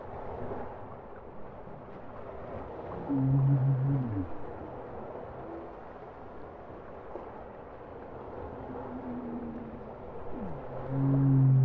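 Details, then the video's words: Low bowhead whale song units: deep, buzzy two-toned moans sound briefly near the middle and again at the end, separated by stretches of quiet rumbling sea noise and faint, softer tonal wisps. "Bowhead whale songs"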